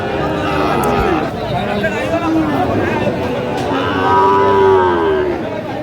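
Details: Sahiwal bull calf at a cattle market in Kurigram, Bangladesh, held Saturdays and Tuesdays; a few drawn-out harmonic moos rise and fall amid crowd chatter and speech.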